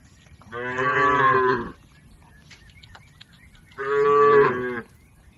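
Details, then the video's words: Domestic cattle driven across a river to their pen: two full, sustained moos, each lasting over a second, separated by a short quiet pause. "Bunyi sapi"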